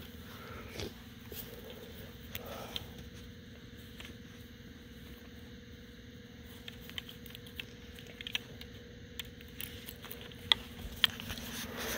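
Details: Cold dark night outdoors with a steady low hum, scattered clicks and crunching footsteps; no animal calls heard.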